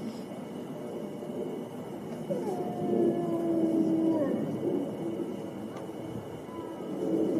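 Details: Several wolves howl together, with drawn-out, smooth tones overlapping at different pitches over a constant hiss, one voice falling away near the middle.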